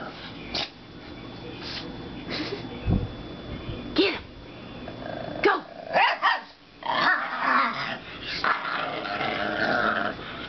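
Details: Two dogs, Gabby and foster dog Winky (now Wally), play barking at each other indoors while playing together for the first time: rough, raspy growls and short yelping barks in uneven bursts, with a person's voice now and then.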